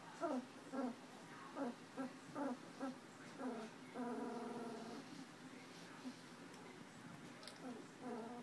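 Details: Two-week-old puppies from a Tucker and Libby litter, eyes just opening and starting to walk, recorded January 27, 2012 after a play session; short, high, harmonic squeaks and whines come in quick bursts, then a longer drawn-out whimper.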